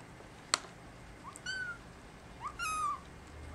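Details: Young male brown tabby and white kitten born December 24, calling for its mother: two short rising-falling meows about a second apart, the second longer, after a sharp click, in a quiet indoor setting.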